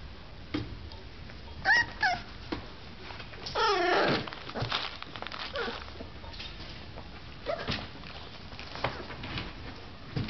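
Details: Boxer puppies just waking up, whimpering indoors: thin, high whines that rise and fall, in short scattered bursts with one longer wavering cry near the middle, plus soft rustling between calls.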